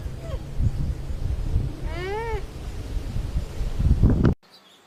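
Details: Alpaca giving one short, arched harmonic call, rising then falling. It is backed by steady low rumbling noise and ends in a sharp cut to near silence.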